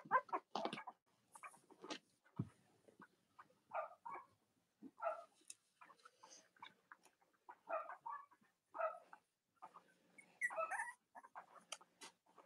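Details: Whimpering Cavalier King Charles Spaniel puppies from Robin and Myra's litters, indoors in the US on a chilly late-October Monday morning. Soft, short whines come roughly every second amid light rustling and shuffling.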